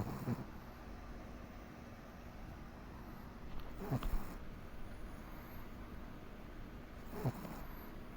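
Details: Sleeping Pomeranian named Komari gives gentle snores roughly every three and a half seconds, short muffled snorts standing out from a quiet room rumble.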